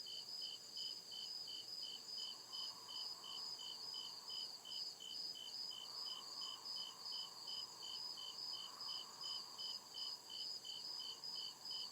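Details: Deep-forest crickets chirping at night, continuous high pulsed trills at a brisk even tempo from several insects, accompanied by a faint wavering hum that rises and falls in the background.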